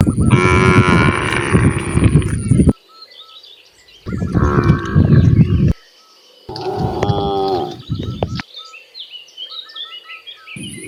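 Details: Free-roaming cows in natural surroundings, walking downhill; three loud, drawn-out moos, each two to three seconds long, separated by short quiet gaps where small birds chirp in the background.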